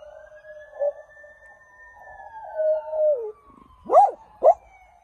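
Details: A dog howls in response to a passing police siren, a wavering mid-pitched howl rising and falling beneath the siren's long, smooth sweeping wail, followed by two sharp, loud siren yelps near the end.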